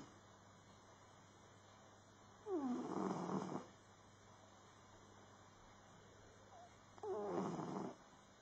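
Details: Max the cat sleeping soundly and snoring noisily: two raspy breaths about four and a half seconds apart, each opening with a short whistling squeak that slides downward, then a rough wheezing rush of air, with quiet between them.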